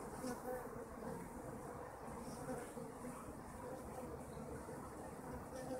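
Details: Kept honeybees buzzing steadily: a dense, low droning hum with faint harmonic bands and gentle swells in loudness, many wings blending into one continuous murmur, with no other clear sounds.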